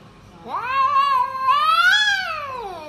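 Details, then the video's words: Cat giving one long, drawn-out meow that rises, holds steady, swells higher near the end and then slides down, lasting over two seconds in a quiet indoor setting. "Cat Sounds"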